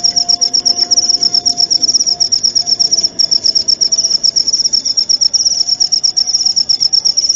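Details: Cricket chirping recorded as training audio for songbirds and for therapy: a continuous high, shrill trill of rapid pulses with a slightly uneven beat, over a faint low steady hum.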